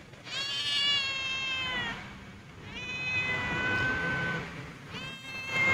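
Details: Homeless, hungry cat that lost its family, meowing three times in drawn-out harmonic cries, each about one to two seconds long and slightly falling, while a person calls to it in Bengali with soft background music.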